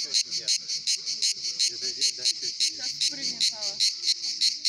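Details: At the Pitsunda resort in Abkhazia, summer cicadas produce a sharp, metallic buzzing that pulses roughly every half second, overlaid by quiet conversation.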